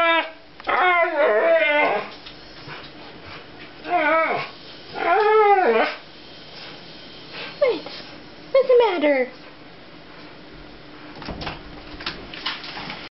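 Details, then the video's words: Two Siberian Huskies howl and vocalise before a walk, hoping to be taken out. Short, bending, yodel-like bursts come in separated bouts, and a human voice is heard between the dog sounds. "Two Siberian Huskys Howling and Talking"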